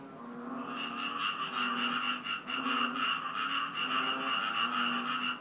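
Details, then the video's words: On Koh Chang on 10 June 2013, after rain, a dense chorus of frogs calls together, a steady rattling, buzzy din with a pulsing rhythm, loud enough to keep someone awake. "Frog sound in koh chang"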